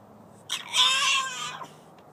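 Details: Collette, a French Bulldog left outside alone and wanting to come in, gives one high, strained whining cry lasting about a second, rising then holding steady with bright overtones, in an otherwise quiet setting.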